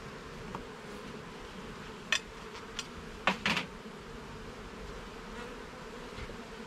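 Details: During a garden beehive inspection, honey bees keep up a constant low buzzing while several crisp wooden knocks and scrapes from moving the frames break in, a few bunched together around the middle.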